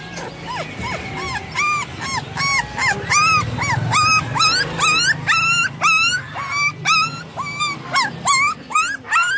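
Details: Persian cats and kittens for sale at Multan Pets Market, Pakistan, meowing: a steady run of short arched, high-pitched mews, several overlapping and growing shriller and more insistent toward the end, over background market noise.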